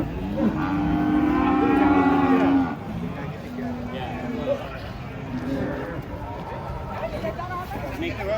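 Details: Giant cattle off a truck; a steady, loud moo lasting nearly three seconds opens the clip, followed by quieter lowing, clanks and murmuring people.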